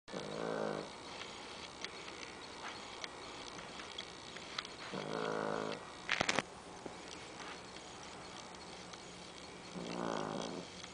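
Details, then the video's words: Amy, a 13-pound pet dog, snoring loudly: three raspy, harmonic snores about every five seconds, each lasting under a second, with a sharp clatter of clicks between the second and third snores over a steady low hum. "Amy snoring"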